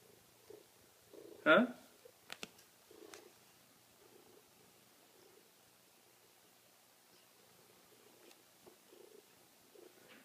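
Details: Enormous Maine Coon cat getting a belly rub, purring in soft, low pulses that come roughly once a second, with a loud sharp thump early on and some human speech in the room.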